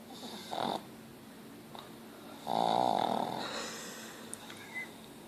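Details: Ozzy, a pet pug, snoring: one loud, rasping snore lasting about a second, with a strong droning buzz, near the middle, between a few fainter, shorter snuffling breaths.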